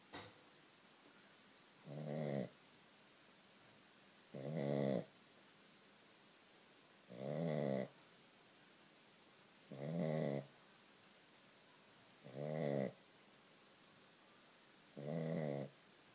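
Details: A Shih Tzu snores loudly, each rattling, throaty breath coming about every two and a half seconds.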